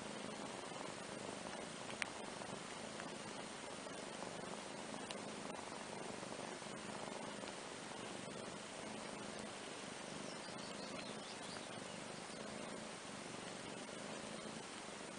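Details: Soft, steady purring from Andrew the kitten and his big half-sister Ana, a cat, relaxing together on a playmat indoors; a low, even hum runs throughout with faint clicks and light rustling.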